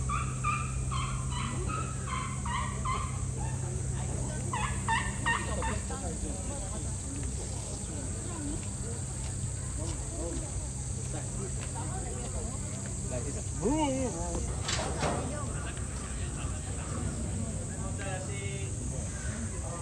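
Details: Uthai, an Asian elephant at Ueno Zoo, calls on 20 July 2025 as Surya breaks off training and hurries over. Rapid bursts of squeaky, pulsed notes fill the first six seconds, followed by people talking over a steady background hum.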